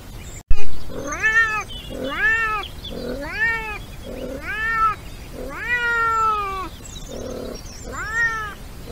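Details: Wild European wildcat in mating season gives repeated harmonic caterwauling meows, six long arched wails that climb and sag in pitch, one stretched longer, separated by low muffled grunts, after a sharp click at the start.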